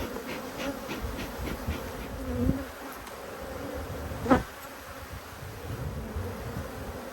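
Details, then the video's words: Agitated honey bees hum continuously while their hive is inspected and smoked to calm them. The buzz is a sustained low drone, broken by a few sharp knocks and a brief clatter near the middle. "When Bees Go Wild - Inspecting Two Angry Hives"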